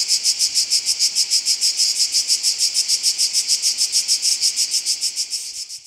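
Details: At Oasi le Chiesuole in July 2015, a Cicada orni keeps up a harsh, high buzz of quick regular pulses, roughly three per second, fading slightly toward the end.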